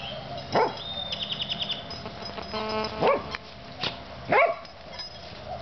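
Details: Puppies named Oreo and Brutus at play, giving a few sharp high yips and short barks spaced about a second apart, with a brief whistled squeak and rustling in between.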